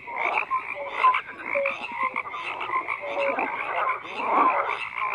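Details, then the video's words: Dense frog chorus: numerous croaking callers overlap, brief tonal notes and rapid pulse trains come and go, and the din swells slightly toward the end. "FROGS CROAKING"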